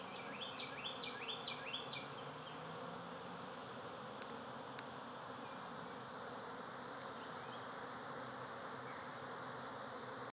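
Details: A backyard swarm of thousands of bees leaving their hive makes a steady, full buzzing hum; a bird gives three quick, descending chirps early on before the drone continues alone.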